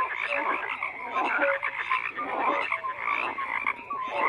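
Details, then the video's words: Overlapping frog croaks fill a short stretch, a crowded chorus of rasping pulses mixed with brief rising tonal notes. "FROGS CROAKING"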